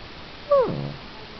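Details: Pet dog named Gismo crying on cue as a trick, urged to sing indoors; one short tonal whine that starts high and slides steeply downward, fading into a brief harmonic tail over steady room hiss.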